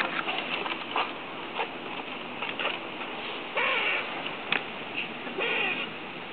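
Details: Strange noises from a squirrel eating just outside a neighbouring window: two rasping, buzzy calls about half a second each, separated by scattered ticks and soft clicks over a steady background hiss.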